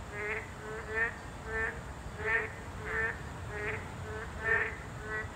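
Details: Boreal digging frogs, a Class 2 protected species, calling at their habitat: short, nasal, harmonic croaks repeated roughly every half to one second, with overlapping callers and a steady high background hiss.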